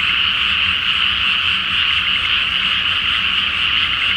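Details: Massed frogs calling at night in a flooded rice field ahead of planting, full moon above, Japan; a thick, unbroken chorus of overlapping croaks, bright and even, with a faint low drone.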